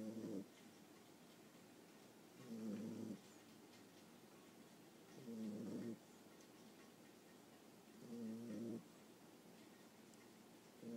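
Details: Sleeping 9.5-week-old Boxer puppy recorded up close: steady rasping snores, five breaths spaced about two to three seconds apart, each a buzzy half-second rumble, nothing else audible.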